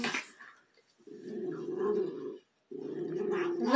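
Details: Two Schipperkes, a brother and sister, in a mock battle indoors: a brief higher sound at the start, then two long, gargling, rumbling growls of about one and a half seconds each, split by a short silence.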